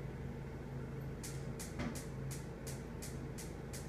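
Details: Steady low rumbling hum with a run of regular hissing, ticking bursts about every half second and no animal calls.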